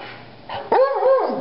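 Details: Buddy, a pet dog, excited about going to the park, gives one short tonal yelping bark that arches up and then falls in pitch, with a strong wavering harmonic tone, after a soft breathy sound.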